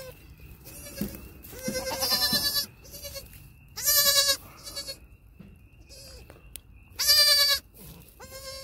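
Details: Six-hour-old baby goats, one of a set of triplets born 1/6/2021, bleating during their first steps; loud, harsh, wavering bleats come in bursts about every three seconds, separated by quiet gaps and a faint steady tone.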